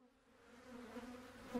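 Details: Slightly defensive honey bees at the hive. A steady, low, droning buzz swells gradually louder, and a sharper burst near the end suggests a bee passing close.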